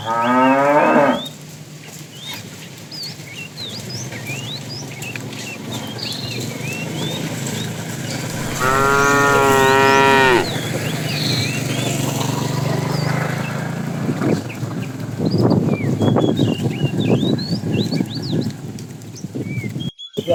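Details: A fat cow from a tame herd being herded in the afternoon, calling the female: a short harmonic moo, then a longer, louder, wavering moo about eight seconds later. Chirping birds and a low rumble run throughout.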